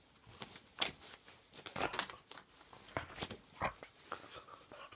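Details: A Boston Terrier indoors gives short, sharp barks and yips in quick, irregular bursts, because he dislikes hands disappearing into clothing, mittens or gloves.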